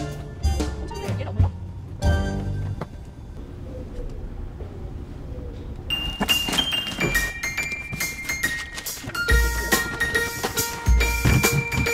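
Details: Music with chiming tones, bell-like dings and scattered knocks and thuds, with brief speech; no animal voice stands out.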